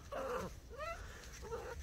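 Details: Domestic cat meowing on January 18, 2023, loud enough that its owner feared it was in trouble: three tonal, harmonic meows, the first drawn out, the second falling, the last short, over a low background hum.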